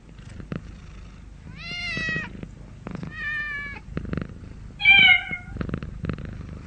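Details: Cat meowing three times: a drawn-out, wavering cry, a shorter flat meow, then a loud, bright final meow, with faint room noise and soft clicks between.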